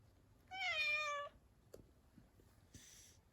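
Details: One clear, fairly long meow from a rescued domestic cat, starting high and gliding down in pitch, followed by a small click and a soft hiss-like rustle in a quiet setting.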